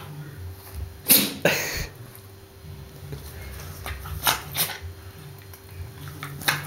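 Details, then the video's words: Bobbie, a pet dog indoors, gives two sharp, breathy sneezes close together near the second second, each a sudden broad burst that fades fast, then quieter snuffly bursts later over a low indoor hum. "My Sneezing Dog Bobbie"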